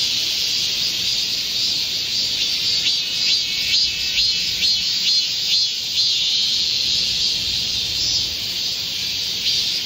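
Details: Korean cicadas singing in chorus in a green midsummer forest during a heatwave, 25 July 2024: a dense, continuous high hissing buzz with pulsing swells roughly twice a second layered over the steady drone.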